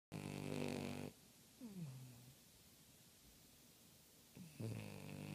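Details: French bulldog snoring indoors: a loud buzzy, rattling snore for about a second, then a shorter soft rising-falling rasp, and another heavy snore starting near the end, with quiet breathing between.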